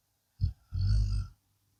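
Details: Sleeping blue Akita Inu dog: a short catch of breath, then a longer throaty, rattling snore of about half a second before silence returns; a low steady hum sits underneath.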